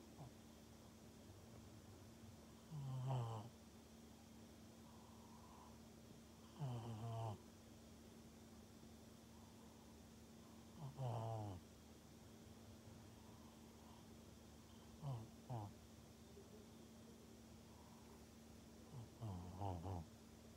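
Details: A pug in Japan snoring in the morning on 30 March 2021: low rumbling snores with a brief rasp, recurring roughly every four seconds over a steady low hum.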